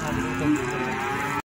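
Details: A cow lows at the Plaosan cattle market in Magetan, where feeder cattle are traded: a level, harmonic moo swelling slightly midway and cut off sharply, over a low murmur of market noise.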